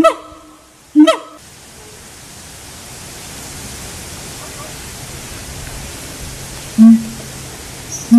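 Loud, honk-like siamang calls come in a quick pair at the start, then lower, booming notes follow after a long pause. Between calls there is only a soft background hiss.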